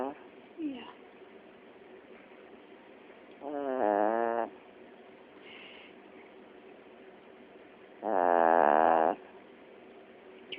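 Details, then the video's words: Sleeping Chiweenie, worn out and out cold, gives two long rasping snores about four seconds apart, with a woman speaking softly at the start. "Snoring Chiweenie"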